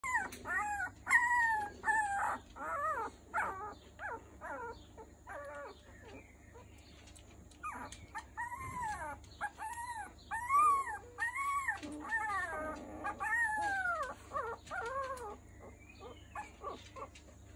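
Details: Three-week-old Miniature Schnauzer puppies giving high, arching whines and squeals in quick irregular runs, some rising then falling, with brief quieter gaps between bursts and a low steady hum underneath.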